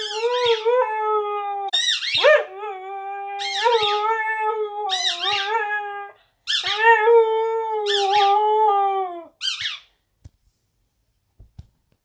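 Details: A female Siberian Husky puppy howls for her squeak toy, which is on the bed: long, wavering, high-pitched notes.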